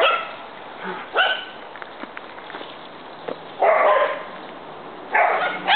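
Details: Big and little dogs at play, giving several short barks and yips spaced a second or more apart, with a hissy background.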